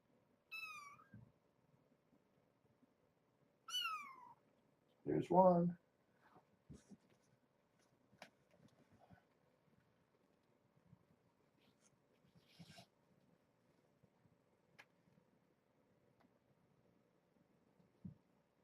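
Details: Young kittens playing beside their brown tabby mother Janine at Purrfect Pals, Washington; two high, thin mews dropping in pitch a few seconds apart, followed by a brief burst of human voice and light rustling.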